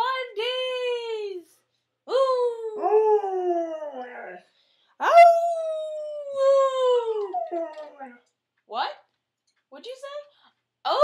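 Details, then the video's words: Farley, an Otterhound mix, singing indoors: long, wavering, mournful howls that swell and slide downward, about four drawn-out phrases with pauses between them, then shorter broken yelps toward the end. "Farley the Singing Otterhound Mix"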